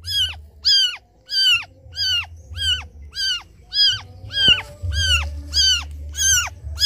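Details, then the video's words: A kitten left by its mother cries out to her in quick, regular, piercing mews, about eleven in seven seconds, each with a short rise and falling tail, over a faint low hum. "Suara anak kucing menangis memanggil ibunya"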